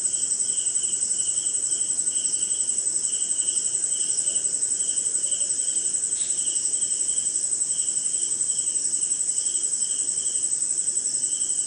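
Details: Crickets and other insects calling during a rainy night somewhere in India: a steady, piercing high trill runs throughout, with a lower pulsed chirping repeated about twice per second and one brief faint click.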